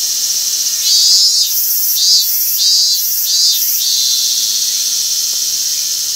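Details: A robust cicada sings loud, shrill, pulsing 'meen-meen' notes over a constant insect drone, recorded 28 August 2021; the later part is a separately recorded song dubbed in after the cicada stopped.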